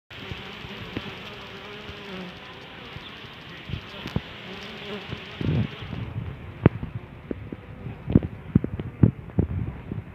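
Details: A honey bee swarm, the keeper's first self-made swarm: a steady low droning hum with faint tonal bands, overlaid by scattered clicks and knocks that grow busier in the second half.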